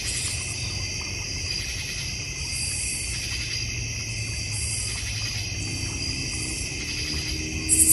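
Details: Crickets in a backyard in the North Georgia Mountains with a koi and goldfish pond, bird feeder and fire pit; a steady, layered high trill of many insects runs without pause, with soft low rumble underneath.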